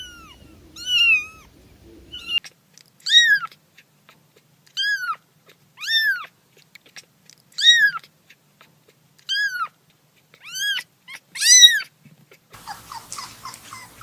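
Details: Kitten crying in a quiet room: short, sharply arched meows repeated about every 1.5 seconds, a dozen in all, ending with a burst of rustling noise.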